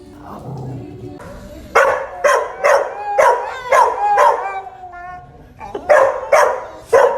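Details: Dog barking in a quick, fairly steady series of about a dozen harsh barks, roughly two per second, after a quieter opening with other low sounds.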